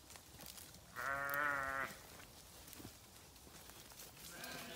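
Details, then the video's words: A grazing sheep on a farm gives one clear, steady harmonic bleat lasting under a second, followed by quieter rustling and chewing noises and the start of a fainter second bleat at the end. "Sheep Video | Sheep Grazing | Sheep Farming | Sheep Sound"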